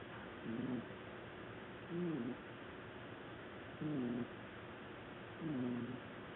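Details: Black domestic cat sleeping on a sofa, snoring loudly: four low, droning, slightly wavering snores, each about half a second long, repeated roughly every 1.7 seconds over a quiet background hiss.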